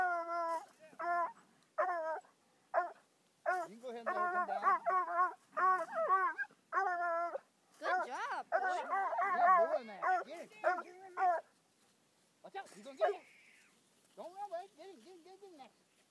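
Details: A five-month-old Bluetick hound confronts a raccoon, later released unharmed, with rapid, choppy bays that run together into a frantic stretch before breaking into wavering, drawn-out howls near the end.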